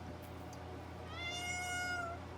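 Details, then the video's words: A cat missing its owner, meowing loudly indoors: one drawn-out, harmonic-rich meow that holds level then falls slightly at its end, over a steady low hum. "When he misses dad! Meows his head off then stays quiet"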